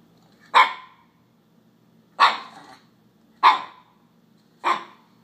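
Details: Male Alaskan Klee Kai puppy, newly acquired, barking at a paper fast-food cup he has decided to dislike: four sharp, bright barks about a second apart, each with a short falling tail, in a quiet indoor room.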